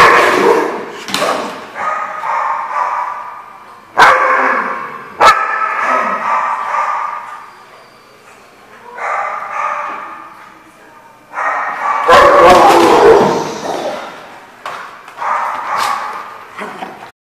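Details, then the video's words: Group of dogs barking in waves of dense overlapping barks and yips, separated by quieter gaps, with a few sharp single barks standing out. "The Barking Lot"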